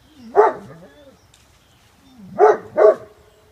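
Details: A Great Pyrenees reacting to a large raccoon on the yard fence in early morning daylight: a rising whine into a deep bark, a quiet stretch, then another whine and a quick pair of deep barks.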